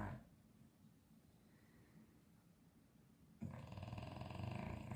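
An English Bulldog snores with a deep, rattling rumble that swells suddenly into a loud, harsh breath.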